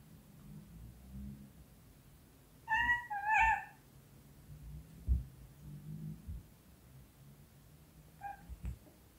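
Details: Two clear, loud meows come close together from a playing British Shorthair cat indoors, then a softer short mew near the end, with a low background hum and faint knocks.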